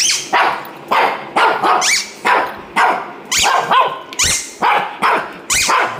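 A Shih Tzu gives a string of sharp, high-pitched yappy barks in quick succession.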